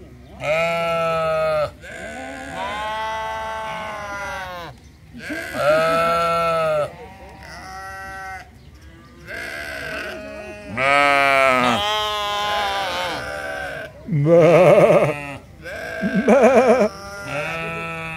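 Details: A chorus of sheep at the Toronto Islands Centre Zoo, repeated quavering bleats from several animals, some long and steady, some rough and pulsing, coming every few seconds and overlapping near the end.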